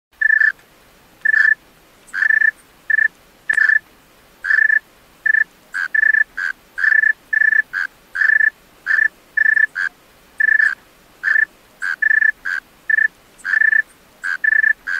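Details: Male tree cricket singing at night: a steady run of short, clear, pure-toned chirps, some broken into quick pulses, spaced irregularly at roughly two per second over a quiet background.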